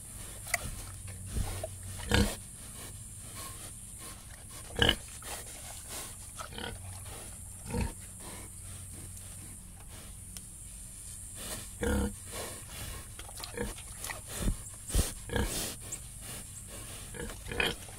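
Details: Pigs in a sty grunting in short, low, snuffling bursts with irregular pauses between them.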